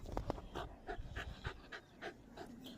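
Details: Pet dog panting steadily, quick breathy huffs repeating roughly three times a second, with a few soft low thumps near the start and no voices over it.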